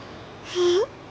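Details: A baby kitten just waking from sleep gives a single short vocal sound, a steady tone that bends upward at the end, indoors in a quiet room.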